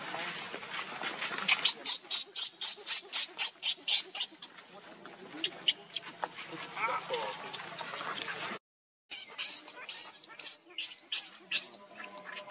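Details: Hungry baby monkey named Leo crying to beg its mother for milk: rapid bursts of shrill, high squeals, about three or four a second, with a brief gap, over a rustling background.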